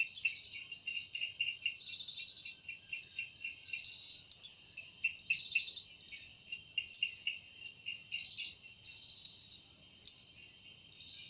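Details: Cicada singing in a forest in the evening, its sound made with the wings: a steady high buzzing band with pulsing bursts, swelling and fading about every half second to one second, no other clear sounds.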